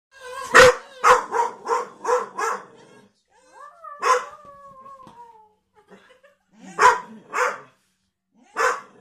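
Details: Staffordshire Bull Terrier, a pet dog indoors on a sofa, barking at the rubbish men: a fast burst of six sharp harmonic barks, a pause with faint whining tones, then three more barks spaced about half a second apart.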